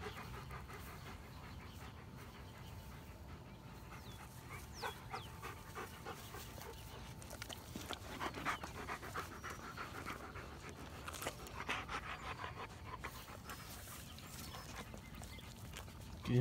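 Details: Domestic dog, one of the dogs Odin, Hannah and Midnight, panting quietly in soft rapid breathy pulses that grow busier midway, with a low steady hum behind and brief Spanish speech nearby.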